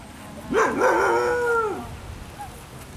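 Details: At a picnic, Ava the Afghan Hound produces a single loud, sustained bark lasting over a second, starting with a quick rise and holding a steady tone before dropping off, followed by quiet outdoor background.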